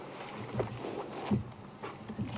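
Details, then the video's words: At dusk in Kruger Park, an African buffalo grazes only about 3 ft away, crunching and tearing grass in short bursts every half second to second, with faint crickets. "And I wonder if you can hear this buffalo grazing. I wonder if you can hear the crunching."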